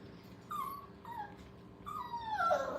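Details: Five-week-old puppies playing at a training kennel give high, thin whines that slide downward, three short cries in under three seconds with the last louder and longer, over a faint indoor hum.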